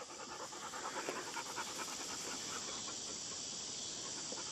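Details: Pet dogs, among them Lexy, Peyton, Ryder and Mollie, pant in quick soft breathy bursts, about two or three per second, with a steady hiss of background noise throughout.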